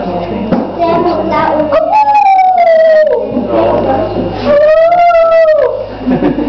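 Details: Wolves howling: two long, smooth tonal howls, each holding steady and then sliding gently downward with rich overtones, set against a rough, noisy background with a steady low hum.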